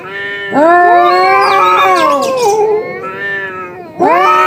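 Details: Two cats locked in a fight, yowling in long, strained, wavering wails that climb and sag in pitch, one continuous howl of about two and a half seconds, then a fresh loud yowl bursting in at the end.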